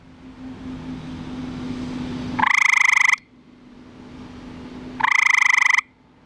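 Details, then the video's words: A male eastern gray treefrog (Hyla versicolor), found in a backyard pool, gives short, musical, rapidly pulsed trills to attract a mate at night, recorded by flashlight. "Male Eastern Gray Tree Frog Calling"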